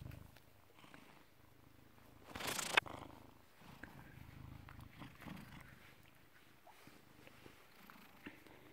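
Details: Purring British Shorthair, a cat born 18 August 2010 and recorded 16 November 2017 at 16:33: a soft, continuous low rumble, broken near the start by a brief loud rustling burst.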